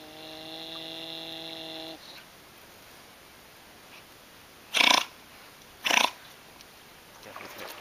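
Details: Giant otters on the Jauaperí River, Xixuau-Xiparina Reserve in Amazonia: a steady, nasal harmonic whine for two seconds, then two loud, rough snort-like bursts about a second apart.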